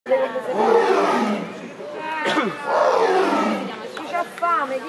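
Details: A tiger at the Bioparco zoo in Rome gives two long, rough, throaty roars, with people talking nearby.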